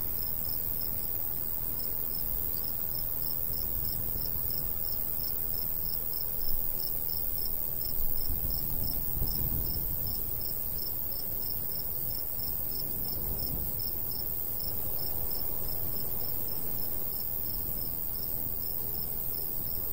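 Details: Summer crickets in a golden wheat field in the countryside; rapid high chirps repeat evenly, nearly four per second, across the whole stretch, while a soft breeze rumbles low with a few louder gusts.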